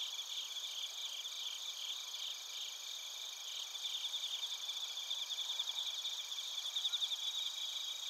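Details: Bell crickets and field crickets sing together in Narita, Chiba, Japan, recorded with a TASCAM Portacapture X8. Layered high, ringing trills run without pause, with pulsing that grows more distinct toward the end.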